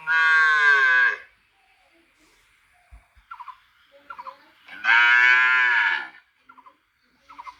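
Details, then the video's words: Cow mooing: two long, loud, nasal moos, each about a second, separated by a quiet stretch with a few short, soft clicks and squeaks. "cow mooing"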